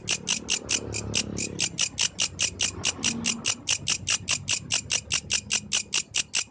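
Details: A yellow grasshopper's night song: around 33 crisp, buzzy pulses in quick regular succession, each a brief high rasp, over a soft low background rumble.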